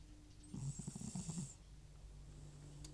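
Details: Sleeping old cat Butcher, FIV-positive and prone to nasal congestion, gives one loud snore lasting about a second: a low, fluttering rattle with a breathy hiss, then quiet breathing.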